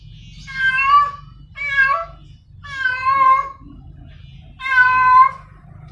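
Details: Female cat in heat calling a male: four long, wailing meows with rich overtones, some slowly rising and falling, over a steady low hum.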